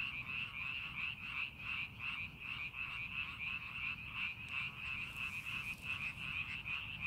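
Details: Frogs calling in rice paddies being prepared for farming, a dense chorus of overlapping croaks pulsing about three times a second around a steady high trill, with low background rumble.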